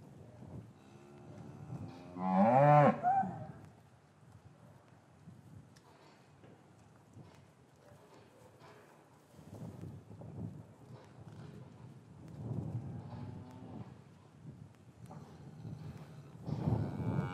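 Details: Deep, drawn-out bellow from a cow in a traditional English farm yard on a winter's afternoon, calves kept apart from their mothers; one loud moo early on, then fainter distant lowing later over low yard rumble.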